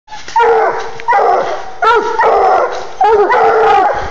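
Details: Bluetick Coonhounds, a 10-month-old male and a 20-month-old female, tree a live raccoon in a cluster of hemlocks at night after a 700-yard run up a hillside. Four loud, drawn-out bawling bays sound about once a second, each with a sharp rising onset.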